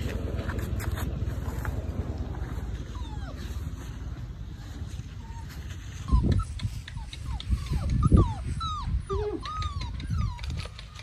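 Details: Two stray puppies being rescued from a small cottage: high, bending whines and yelps cluster in the second half, each rising then falling, over a steady low rumble with some voices nearby.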